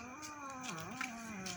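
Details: Domestic cat indoors at night feeding time, cats waiting at their plates for rice: a long, drawn-out harmonic meow with a wavering pitch that dips and rises again, while a woman talks nearby.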